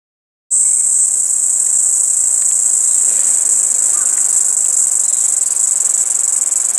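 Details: Kaempfer cicada singing from a cherry tree: a continuous, steady, very high buzzing drone that starts abruptly after half a second and holds unbroken to the end.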